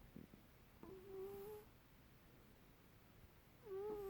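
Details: Lulu, a pet cat in Perth, Western Australia, gives a squeaky snore: two drawn-out whistling squeaks, each lasting close to a second, with quiet breathing in between, indoors.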